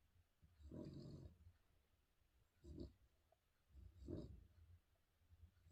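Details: Spaniel dog snoring: three rough, low rasping breaths with gaps of over a second between them, each swelling and fading, in a quiet indoor setting.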